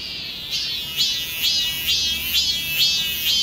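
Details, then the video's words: Cicadas singing in midsummer in the garden of Yesuhyanggi Church, Korea, on Tuesday 28 July 2020: a loud, buzzy, high-pitched pulsing drone that rises and swells in regular bursts about twice per second, with no other clear sounds. "여름의 노래, 매미 울음 소리"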